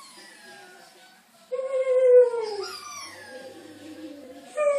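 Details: A French Bulldog watching TV gives a drawn-out, wavering howl that slides downward, then rises again at the end.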